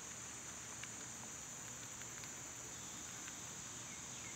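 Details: Cicadas drone loudly and evenly in summer heat, a high sustained hiss with soft scattered clicks and one faint chirp near the end.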